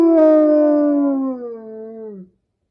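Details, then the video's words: A single wolf howl starts strong and steady, then sinks gradually in pitch and fades out after about two seconds. No other sounds are heard. "Sounds of birds, chickens, zebras, cats, wolves"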